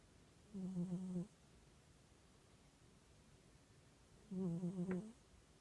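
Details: Cat asleep in sunshine, snoring gently: two low, rough, humming breaths, each under a second long, roughly four seconds apart, with quiet background hiss between them.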